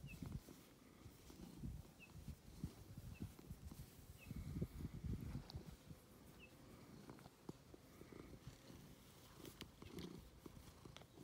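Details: Domestic cat Ovenmitt, nicknamed Lovebug, purring while enjoying attention: a low, continuous rumbling purr with uneven pulses of loudness, and a few faint short high chirps in the background.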